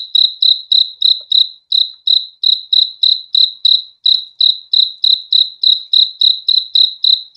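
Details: A single cricket's clear, high-pitched chirps pulse at roughly three per second, each chirp a short ringing burst; the rhythm holds steady with one small pause, against a silent background.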